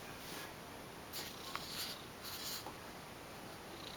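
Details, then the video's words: Rumbling purr of an ex-stray female cat named Piccolina lying under bed sheets, quiet and muffled, with a few brief louder breathy bursts and rustles in the middle. "Weird creature lives under my bed sheets , making rumbling noises !"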